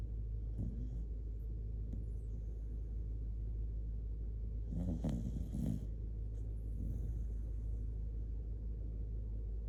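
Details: Shiba Inu named Kotetsu, sleepy and sleeping cuddled up close, loud snoring: low rumbling breaths with a brief harsher snort burst midway over a steady low hum.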